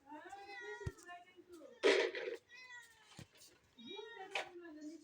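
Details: Domestic cat meowing indoors while a child tries to catch it; drawn-out tonal meows near the start and again toward the end, with a burst of noisy handling sound and Bengali speech between them.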